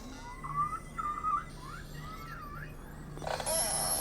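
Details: A wild beluga whale (Delphinapterus leucas) in the Canadian Arctic in summer gives wavering, rising and falling whistles as a contact call. The call is used when isolated from the group, links mother and calf, and is answered by a reply.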